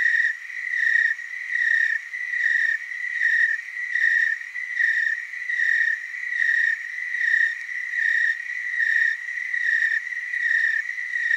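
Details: Tree crickets chorusing in the Willamette Valley, Oregon; many insects trilling together in a high, ringing drone that rises and dips in regular beats, slightly blurred as the overlapping pulses fall out of step.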